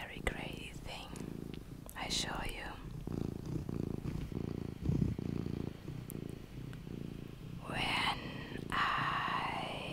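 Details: Soft continuous purring from Luna, a mini pet cat, a low vibrating buzz pulsing steadily beneath breathy whispered speech and occasional handling noises.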